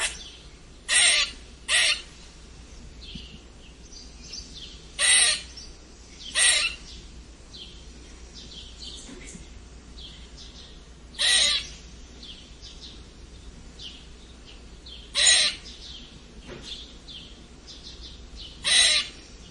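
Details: Strange squeaking of a red squirrel: rough, scratchy squeaks often paired, around ten bursts spread over the stretch at irregular gaps, with quiet high chirps lingering underneath.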